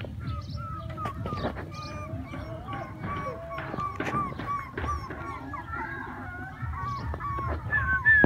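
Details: Puppies at play, crying with many overlapping high, tonal whines that curve up and down in short bursts, several callers at once, over a steady low rumble and occasional sharp knocks.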